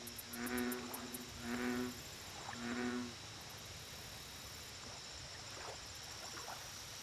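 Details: Three deep, throaty American bullfrog croaks open the lake recording, each half a second long and about a second apart, layered with overtones. Then only faint calls, a constant insect whine and high rhythmic chirping remain.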